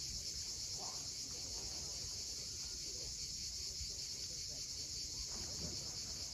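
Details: Sunset at Cape Fiolent on the Crimean coast, where cicadas keep up a continuous shrill, hiss-like drone without pause. A soft low rumble lies underneath.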